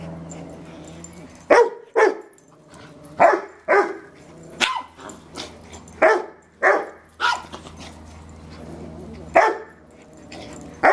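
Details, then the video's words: Fred, a fearless Yorkshire Terrier staying for a few days, terrorising Robbie the Rottweiler: sharp, high barks come in irregular bursts, some paired, roughly a dozen over eleven seconds, with a low rumbling growl underneath and a person's voice at times. "Yorkshire Terrierist Rottweiler Attack"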